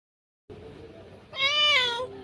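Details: Domestic cat that has just given birth to kittens, giving one loud, drawn-out, harmonic-rich meow that holds steady then falls slightly, after a brief stretch of background hiss.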